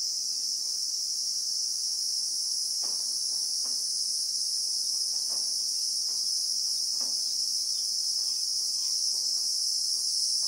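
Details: In the bushveld of South Africa, a Christmas beetle (Anoplognathus) gives a continuous shrill, high buzz at an even level, recorded in real time, with light irregular knocking sounds scattered below.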